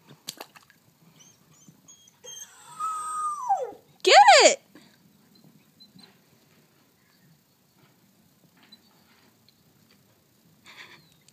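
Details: Pet wolf Chaos cries in distress for his teddy bear, used to lure him toward a pool on a hot day: a long descending whimper, then a sharp loud arched yelp, followed by quiet.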